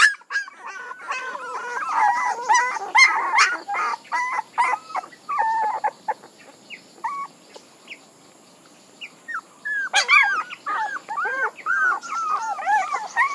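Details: Puppies squealing and whimpering in dense overlapping bursts, high wavering cries that thin out midway to a few isolated yips, then swell again into a busy run of arched whines.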